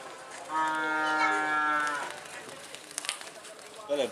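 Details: Karapan sapi racing cattle in training at Asemanis, Pamekasan, on Madura in East Java, Indonesia: one long, steady, richly harmonic moo lasts about a second and a half, followed by crowd chatter and clatter.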